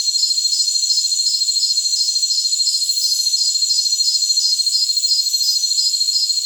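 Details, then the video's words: Shrill, unbroken buzzing from jungle crickets, with a rhythmic chirp repeating about three times a second over several layered high tones and a faint hiss at moments. "Jungle Crickets"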